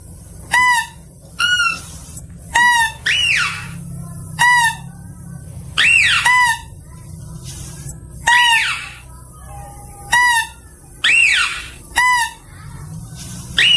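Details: Mouse-deer call used as a lure: short ringing notes repeated roughly every second, broken by several longer arched squeals that rise and fall. A faint low hum sits underneath.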